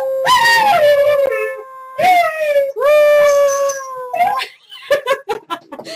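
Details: Link, a pet dog, howling indoors while his owner livestreams artwork: three long harmonic howls, each starting higher and sliding down then holding steady, about two seconds apart, loud and close to the mic, followed by a person's voice.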